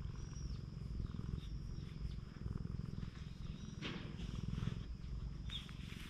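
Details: Stray cat on a Japanese cat island purring steadily while a man strokes its body, filmed outdoors on a GoPro. A low, even rumble pulses throughout, with a soft rustle near the four-second mark.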